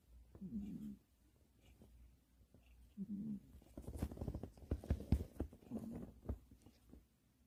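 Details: Sarang, a sleeping pet Pomeranian indoors, snores in low rasping breaths about every two and a half seconds, with soft rustling and clicking handling noises in the middle.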